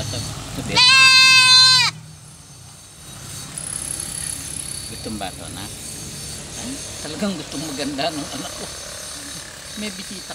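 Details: Domestic goat giving a single loud, wavering, high bleat lasting about a second, followed by quiet voices and faint background noise.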